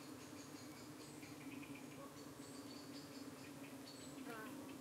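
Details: UK honey bees at their hive in the evening, harassed by parasitic flies landing on their abdomens; even droning hum throughout, with brief higher buzzing sweeps near the end.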